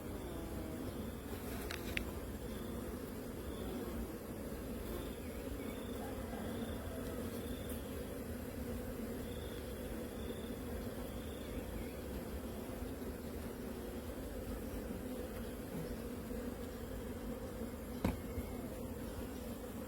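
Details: Honey bees of a beekeeping farm colony around the queen, giving a continuous low, rough buzzing hum, with a few soft high chirps early on and two brief sharp clicks.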